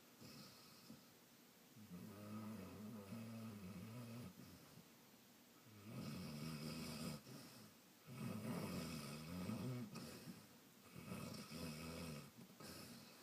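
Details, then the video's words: Sleeping Saint Bernard snoring and dreaming indoors; low rumbling, buzzy snores come in long breaths of about two seconds with quiet gaps between, growing louder in the second half. "Snoring Dog"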